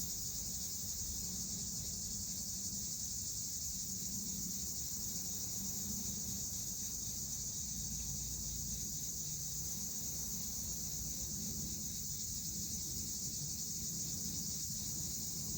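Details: Cicadas drone in a steady, high-pitched buzzing summer chorus that barely changes in intensity.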